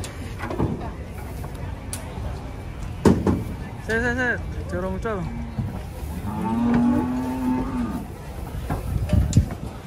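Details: Riled-up cattle being taken off a truck. Short, strained bellows come in quick pairs, followed by a longer, steady moo. Sharp knocks, clatter and human voices are mixed in.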